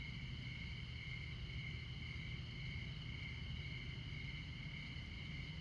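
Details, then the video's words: A midnight cricket chorus in Montana beside I-94, America's most northern interstate. Continuous shrill ringing sits at two steady pitches with no pauses, while a heavy, droning highway rumble fills the low end throughout. "Midnight Montana Crickets"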